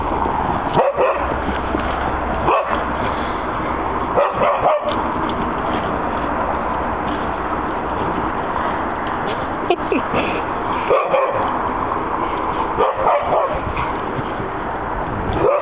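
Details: Two dogs chasing each other in a back yard, one happy after a good walk; short, sharp barks and yips burst out at irregular intervals over a steady, muffled outdoor background.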